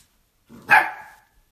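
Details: A Samoyed dog gives a single short, loud bark, a sharp onset falling away over about half a second, with a softer lead-in just before it and silence around it.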